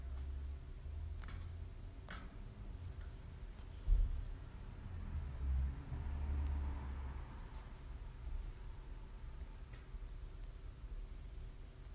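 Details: Only a low steady hum and a few faint clicks and taps in a quiet room; no calls or chirps.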